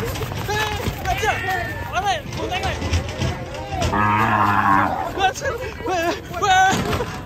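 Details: Rampaging cow charging toward an elderly sickle seller; one low, drawn-out moo lasting about a second stands out midway, surrounded by loud, excited human voices and background music.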